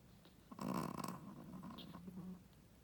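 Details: A Shih Tzu mother dog snoring in her sleep: one rough, rattling snore lasting about a second, then a quieter drawn-out breath trailing off.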